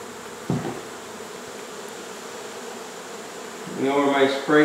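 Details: Honey bees from a hive in a wall of a Mission, Texas home, being relocated; an even, soft droning buzz fills most of the recording, followed by a man's voice near the end.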